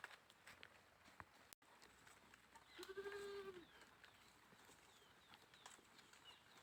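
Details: Goat on a farm in India giving one drawn-out, wavering bleat lasting about a second, rich in harmonics and rising slightly then falling. Scattered clicks, knocks and faint rustling fill the rest of the recording.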